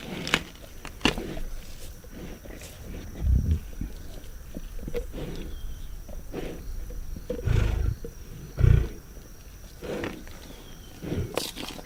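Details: Several lions eating a zebra carcass give short deep growls at intervals, near the fourth, eighth and ninth seconds. Between them come scattered snapping and crunching feeding noises and a thin constant high hum.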